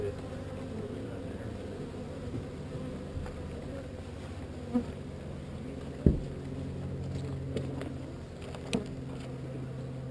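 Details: Relocated swarm of honey bees droning in a steady, deep, unbroken hum, with occasional sharp clicks and taps from handling the hive.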